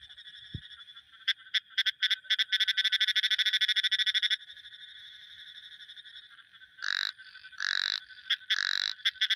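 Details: Frog calls: a quick rattling series of clicks gives way after a pause to three loud buzzy croaks spaced about a second apart, with one faint knock near the start.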